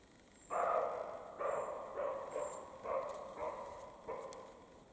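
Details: Roe deer exchange in the Carpathian mountains during spring mating: a rapid series of six or seven short, gruff barks roughly every half second, fading slightly, with faint high bird notes above.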